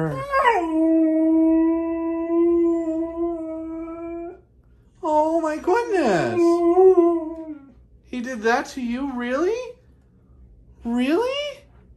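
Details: Dramatic Siberian Husky giving a long, steady howl held for about four seconds, then a sliding, wavering cry that dips sharply, followed by shorter rising and falling yodelled howls separated by pauses.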